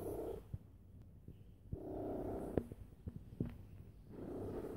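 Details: Loud purr from a house cat lying down, a continuous low rumble that swells in rhythmic bursts about every two seconds, with occasional soft clicks and snaps over the drone.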